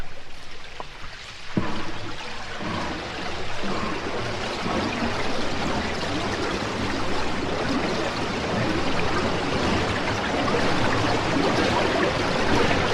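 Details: Humpback whales near Bermuda in spring, recorded by hydrophone, spin a bubble net to trap krill: a chugging steam-engine-like rush, then a dense bubbling hiss of rising bubbles, then spouting breath at the surface.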